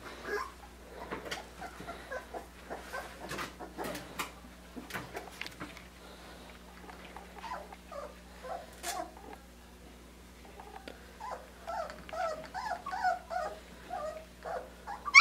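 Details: Australian Shepherd puppies, three weeks and five days old, at their first taste of puppy mush; scattered clicks and smacking, then a run of short high squeaky whimpers and chirps near the end, indoors.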